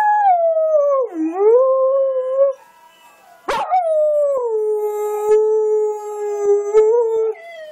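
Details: Dingo kelpie mix dog howling at a recording of other dogs; long sustained tonal howls with rich harmonics, first dipping then rising, a sharp click mid-way, then a steady held howl with a slight wavering at the end.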